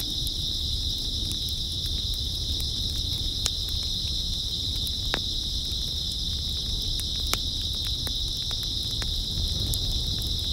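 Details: Grass insects on an early autumn night, a steady, dense high-pitched chorus droning without pause, with a faint harmonic above, scattered sharp clicks and a low background rumble.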